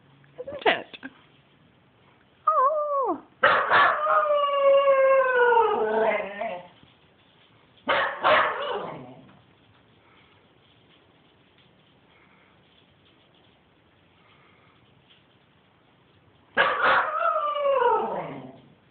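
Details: Pet dog Spencer in a wild play frenzy: a sharp bark, then a long wavering howl sliding downward, another yelping burst, a quiet gap, and a final falling howl.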